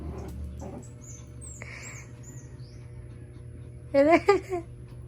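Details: Pomeranian x Shih Tzu puppies at playtime; a short high whine with a wavering, stacked tone near the end, after quieter shuffling and faint squeaks, with some household hum underneath.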